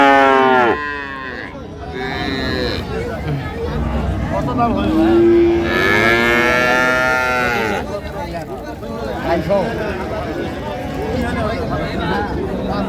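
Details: Dairy cows of an improved breed with calves at Ambari livestock market, Dinajpur, on 9/3/25. A long rising-then-falling moo swells midway, with men talking and bargaining over prices and market crowd noise throughout.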